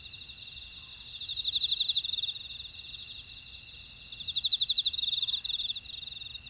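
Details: Grassland insects in a buckwheat field at Ora-dong, Jeju City, on volcanic Jeju Island, South Korea: steady high, shimmering trills layered at several pitches, with pulsed bursts swelling and fading every couple of seconds and a brief hiss near the start.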